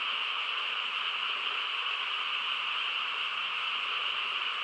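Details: Night-time frog chorus in quiet rural country, a seamless trilling hum where individual callers cannot be picked out, steady in loudness from start to finish.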